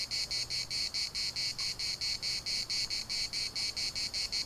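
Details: Cicadas in a Larnaca municipal park giving a steady, strident buzz chopped into quick regular pulses, about four per second, over a faint low hum in the background.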